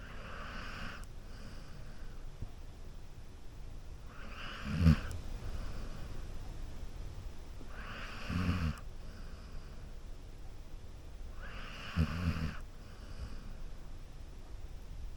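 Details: Golden Retriever sleeping on a couch and snoring steadily, each breath a soft, rasping low rumble with a breathy hiss on top, in a slow even rhythm roughly every three to four seconds over a quiet background.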